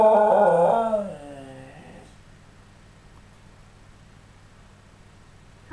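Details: Scottish Terrier howling indoors in response to a ringing phone, likened to a wolf howl: one sustained, wavering, harmonic howl of about two seconds that slides downward in pitch and fades, followed by near silence in a small room.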